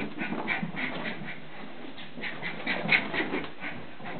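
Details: Playful Border Terrier puppy on a mad turn, giving rapid, rhythmic breathy whimpers and pants about four per second, soft and steady, with a couple of slightly louder squeaky peaks midway.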